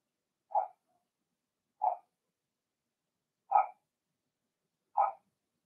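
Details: Four separate high-pitched yaps from Blenheim Cavalier King Charles Spaniel puppies inside a home puppy pen, spaced roughly a second and a half apart in a quiet room.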